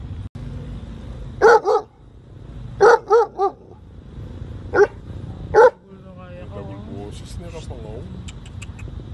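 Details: German Shepherd. A German Shepherd barks loudly and deeply in short bursts, some single and some doubled, spaced a second or more apart. After the barking stops, softer wavering sounds like a human voice or a whine continue over faint background hum.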